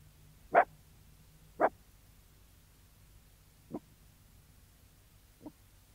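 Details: Sealyham Terrier barking outdoors: two loud sharp barks about a second apart, then after a pause two quieter, shorter barks, over a faint low background hum.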